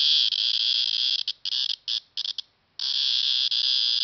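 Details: At KU Dharwad a cicada drones with its tymbal organ in a piercing, high-pitched buzz that stutters into several short bursts and brief gaps, falls silent for a moment, then resumes as a steady unbroken whine.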